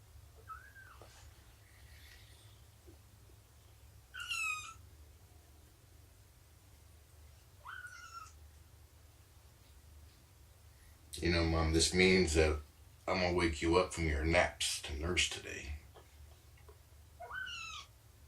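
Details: Cats during morning snuggles, nursing and play time with Shelby, an abandoned mother cat about two years old, and her litter of kittens about three months old. Thin, high meows rise and fall at intervals, with loud human talking in the middle.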